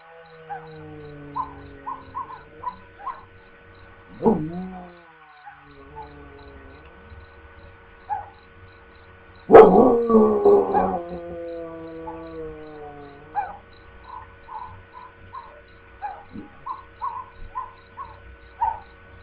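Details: Pet dog howling: a wavering howl slides up and down, then a louder, strained howl follows with a falling harmonic tail. Short yips come in between, over a row of repeated short high electronic-sounding tones.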